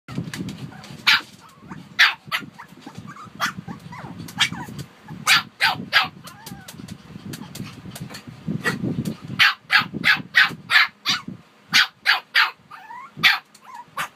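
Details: Shih Tzu dogs Harper and Wuhan barking in sharp, high yaps, sometimes in quick runs of two or three, spread unevenly through the stretch over a steady low rumble.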